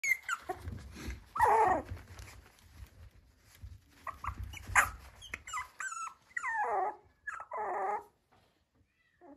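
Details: Yorkshire Terrier at a dog breeder's home in Okayama, Japan, giving short, high whimpers and whines that slide downward, several in a row near the end, after low rumbling handling noises and scattered clicks.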